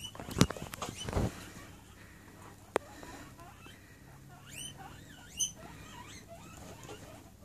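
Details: Domestic guinea pigs in a herd, with newcomer Petal just moved into a bigger cage during introduction week, at feeding time. Sharp knocks and thumps open, then a run of high, rising, squeaky whistled wheeks follows in the second half.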